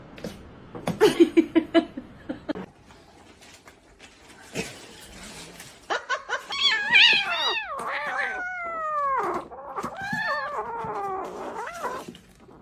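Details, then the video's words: Kitten meowing: after a stretch of clattering noise and laughter, a run of arched, harmonic meows follows in the second half, some rising then falling, with background music underneath. "kitten meowing call"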